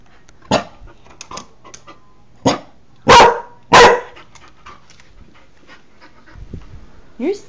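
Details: Newfoundland dog barking while guarding his territory, probably at his window reflection, July 2009: a few short barks and two loud bursts close together, followed by quieter sounds and a person speaking softly.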